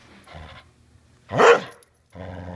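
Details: Border Collie that refuses to give its ball back lets out one loud, rising-and-falling growly yowl, framed by quieter bursts of a woman's voice talking to it indoors.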